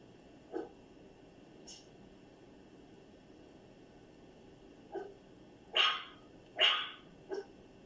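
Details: Dog with unusual vocalizations: a faint yelp, a thin high squeak, a long quiet gap, then short yips building to two loud barks and a smaller final bark.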